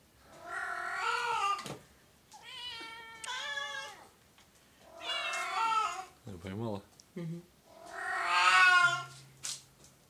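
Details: Indoor recording of Oriental and Siamese cats: four long, wailing, harmonic meows spaced by short pauses, one with a wavering pitch, plus a brief rapid chattering sound between them and faint household noise.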